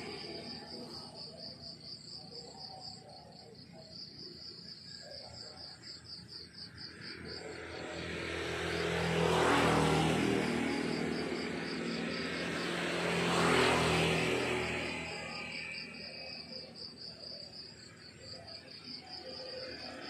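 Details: Crickets chirp in the countryside in the morning, a fast, regular high pulsing trill. A loud engine, like a passing aircraft, swells and masks it through the middle before the chirping returns clearly.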